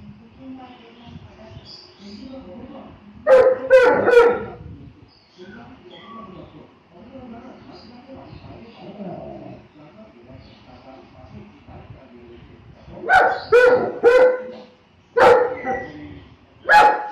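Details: Saint Bernard dog barking in two bursts, a pair of loud barks near the start, then a long quiet stretch of faint background noise, followed by a cluster of four barks toward the end.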